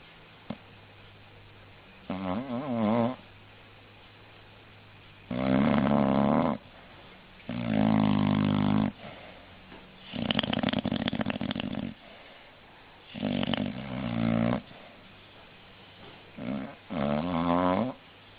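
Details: An English bulldog snores indoors in an uneven series of about seven rough, buzzy breaths, some wavering in pitch, separated by short quiet pauses.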